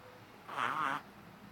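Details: A 3-month-old Shih Tzu puppy, a loud habitual snorer, gives a single squeaky, wavering nasal snore lasting about half a second.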